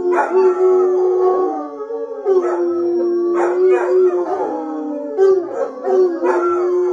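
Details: Sustained bloodhound howling, a steady mournful tone swelling in bursts roughly every two seconds, with voices overlapping and bending slightly up and down throughout.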